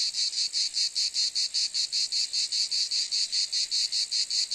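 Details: Rhythmic cicada buzzing: sharp, high, sizzling pulses repeated evenly about two and a half times a second, each a short hissy burst, continuous and clean.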